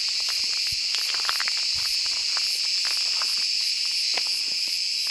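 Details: Cicada in Mediterranean summer woods, singing as the day grows hot; a steady, unbroken high-pitched buzz with light clicks and crackles in the background.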